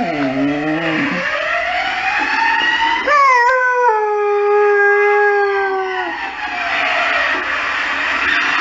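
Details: Howling at emergency services, a Saluki gives wavering low notes, then jumps into a drawn-out tonal howl that slowly sinks in pitch over three seconds, with a siren wailing behind and rising again at the end.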